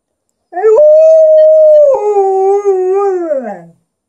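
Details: Alaskan Malamute howling as it converses with its owner, a smooth level tone for over a second, then a sudden step down into a lower, gently wobbling note that falls away at the close, in a silent room.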